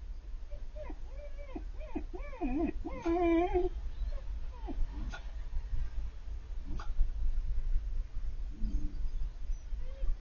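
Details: Siberian Husky puppy, female, about four months old, crying on seeing an older male dog from across the street; a series of high, wavering whines and yelps rising and falling in quick succession, then quieter whimpers, over low background rumble.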